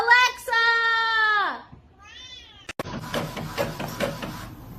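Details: Kitten meowing indoors: one loud, long meow that slides downward, a softer short meow, then a voice talking over the background.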